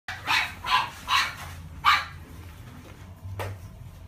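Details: Male fawn-and-white Chihuahua born March 2017, kept at a pet shop, giving four sharp, thin barks in the first two seconds, then one faint bark, over a low steady indoor hum.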